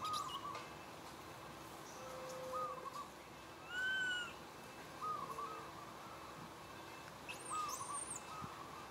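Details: A sad baby monkey asking for milk gives short, whining cries with rising and falling pitch, calling its mother, who comes to take care of him.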